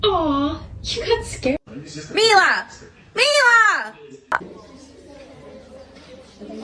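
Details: Crying kitten gives a falling wail, then two drawn-out arched meows that rise and drop, followed by quieter room sounds and faint voices.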